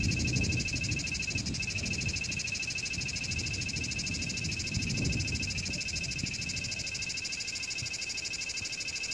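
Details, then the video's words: Cicada singing: a steady, unbroken high-pitched buzzing drone that holds layered shrill bands through the whole stretch, with a soft low rumble underneath. "Canto de Chicharra - Canto de Cigarra"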